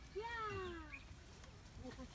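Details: Dairy goats on a farm, gathered just outside the compound and wanting to go in; one clear, nasal bleat of almost a second that slides downward, with rich harmonics, then quieter murmurs and a person speaking faintly.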